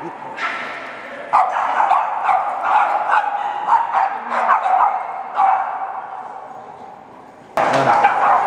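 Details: Boston Terriers bark in quick, uneven bursts, with human voices mixed in, at a Chicago Boston Terrier meetup gathering.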